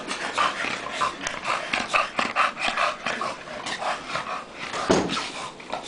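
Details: Tank and Bofa, two dogs wrestling together in play, give quick huffs and pants, then a short low growling grunt near the end amid scuffling noise.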